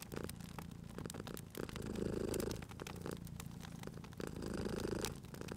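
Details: Cat purring at a crackling fireplace: a gentle low rumble grows louder in two long swells, one in the middle and one near the end, against a busy background of wood-fire crackles and pops.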